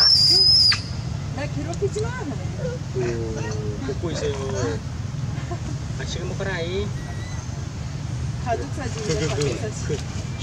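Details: Young monkey crying out for its mother, giving level tonal cries and then quick wobbling, rising-falling squeals. Steady low road-traffic hum and a brief sharp whistle at the start.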